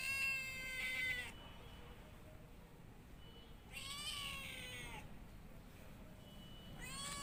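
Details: Domestic cat repeating loud, strained meows, three bright cries separated by pauses of roughly two seconds, each ending with a downward slide.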